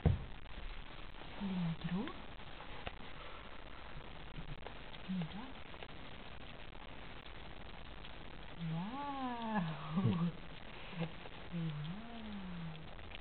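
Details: Italian Greyhound puppies, 24 days old, give low, arching whines and squeals, several overlapping, while eating minced beef with egg yolk.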